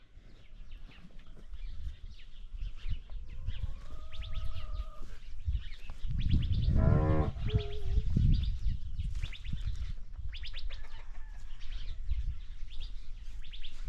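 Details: Ranch cow gives a single low, drawn-out moo of about a second and a half midway through, with steady low rumbling noise and high chirping birds in the background.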